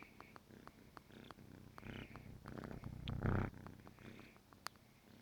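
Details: Negi, a roughly 14-week-old kitten, purring at close range as it wakes its owner in the morning; continuous low pulsed rumble swelling louder near the middle, with light rustles and a sharp click.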